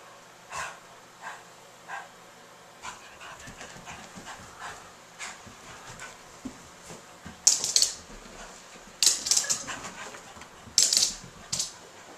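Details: Stella, a King Charles / Cocker Spaniel mix dog, acting funny after a bath: soft rhythmic panting breaths roughly every half second, then bursts of loud scuffling and rubbing noise.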